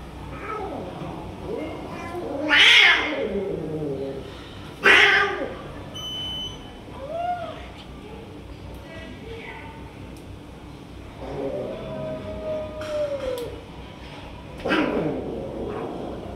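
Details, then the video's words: Stray tiger cat snatching food from other cats and keeping them from eating: two sharp, loud hissing bursts early on, then drawn-out meows rising and falling at intervals, with faint background chatter. "Tiger Cat is Snatching Food from Other Cats and Not Letting Eat Anyone Else"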